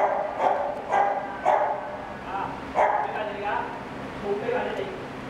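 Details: Greyhound barking, one of nine Irish greyhounds sent to Macau in 2016: a run of short, harmonic barks roughly every half second, fading toward the end, with a person's voice calling in Chinese nearby.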